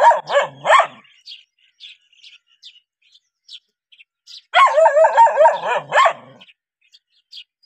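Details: Reacting to a stranger, a dog gives three quick barks, pauses while faint bird chirps are heard, then breaks into a longer run of rapid, rough barking lasting about two seconds.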